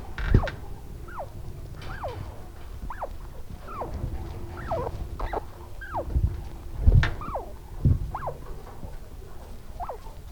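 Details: Baby chinchillas nursing from their mother give soft, repeated squeaky chirps that rise then fall, a very quiet comfort sound of extreme happiness, amplified for recording.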